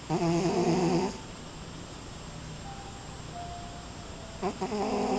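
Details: Sleeping cat slumped on a glass gives a roughly one-second rasping snore, then a quiet stretch with a faint thin tone, then another throaty snore starting near the end.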